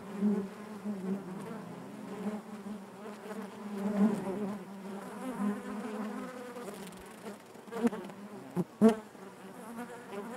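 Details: Steady honey bee drone from within the hive, a low layered buzz holding even for several seconds before a cluster of sharp, loud passes by nearby bees toward the end.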